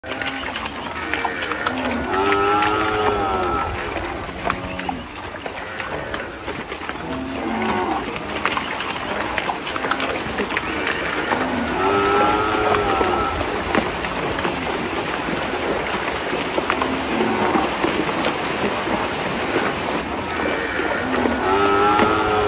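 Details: Cattle on a village dairy farm in the countryside give low, drawn-out lowing moos, repeated over a busy, noisy background.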